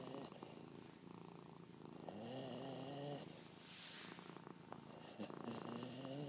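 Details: Casper, a female Labrador, attempts a cat-like purr indoors, giving a rhythmic, vibrating rumble of fast repeated pulses that rises and falls in waves over several seconds, with a brief rustle midway.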